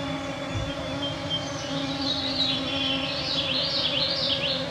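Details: Clouds of mosquitoes on a June 2024 summer evening at 9pm in the Canadian Shield of northwestern Ontario, Canada, recorded with a Sound Devices MixPre-3 II and EM272 microphones: a steady droning whine with layered tones, while birds sing warbled phrases overhead.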